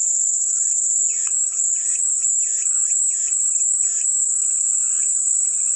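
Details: A shrill, sustained cicada whine, accompanied by a run of about six evenly spaced, softer chirping bursts lower in pitch.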